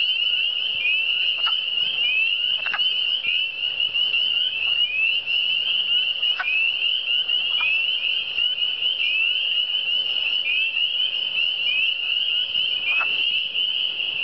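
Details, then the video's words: Massed frog calls from the Eastern Townships, continuous high-pitched rising chirps from many individuals layered together, interrupted now and then by sharp clicks, with a quiet low hum beneath. "Le son des grenouilles"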